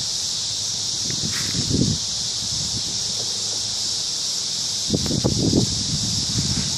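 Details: Evening cricket chorus from a large cottonwood tree in a park, a continuous piercing high-pitched ringing without breaks, overlaid by occasional soft low rustling and knocking sounds close by.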